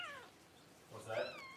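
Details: Cavalier King Charles Spaniel newborn pup, among the first two born to mother Paris indoors: a short falling squeal, a brief pause, then a rising, wavering high whine.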